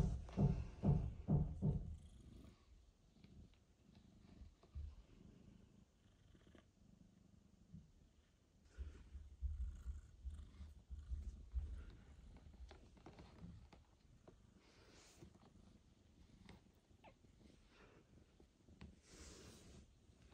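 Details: Mother cat, back after several days at a veterinary clinic following a difficult birth and surgery, meets her newborn kitten Michael for the first time. Low throbbing purr in rapid pulses, strongest at the start and again midway, with soft rustles indoors.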